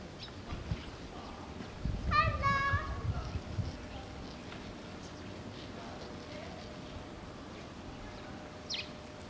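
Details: Japanese macaques at Tama Zoological Park, Tokyo, Japan, in February 2017: one short harmonic coo-like call about two seconds in, rising slightly then holding steady, over low rumbling background with faint distant chirps.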